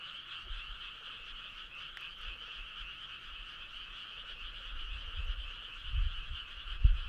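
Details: Frog choir on a summer night along a starry country road: a dense, unbroken trilling chorus with two steady bands, one high and one lower, over a faint low rumble that swells near the end.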